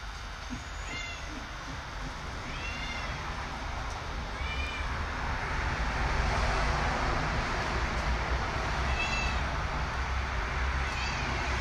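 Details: House cat eating bok choy, repeating brief arched meows, five in all, spaced roughly two seconds apart, rising then falling, with a constant low mechanical rumble underneath.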